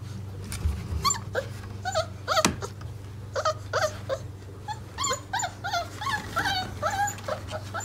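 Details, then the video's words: Mastiff puppies, four weeks old, one of a litter of eight, waking up indoors: short rising-falling whimpers and squeaks in quick bursts over a steady low hum. "4 wk old Mastiffs Puppies Wakey! Wakey!"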